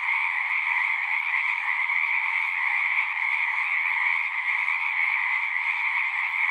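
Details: Many frogs singing together at a pond in a horse pasture, captured with a Zoom 6; the overlapping high-pitched trills merge into one continuous, even drone throughout.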